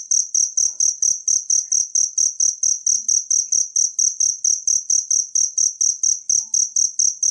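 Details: A natural cricket, its call meant as a model for training songbirds, gives a continuous run of sharp, high chirps at an even pace of roughly four per second. The background stays clean and quiet.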